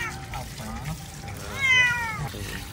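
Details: Domestic village cat, used to cold water since young, meowing while being rinsed during a home bath; one clear, loud, rising-then-falling meow near the end, with a woman talking and water sounds.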